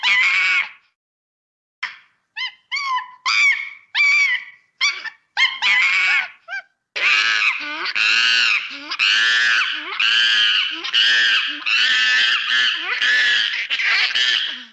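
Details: Monkey playing and screaming in its natural habitat; a series of loud, harsh, wavering shrieks, short bursts at first, then longer run-together screams from about seven seconds onward.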